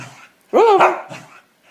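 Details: A female Pembroke Welsh Corgi aged 9 years 8 months gives one sharp, tonal bark that rises then drops while told to roll over, posing with her nose up instead; a person speaks nearby.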